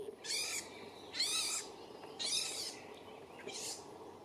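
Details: European pine marten family, adults with young, on an evening walk on the way to hunt; four high, harsh, harmonic squealing calls at about one per second, each roughly half a second long, over steady low background hiss.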